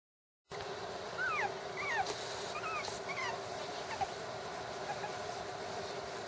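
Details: Six-week-old puppies giving a series of thin, high whimpering squeaks that slide up and down, several in quick succession over the first four seconds, against a steady background hum.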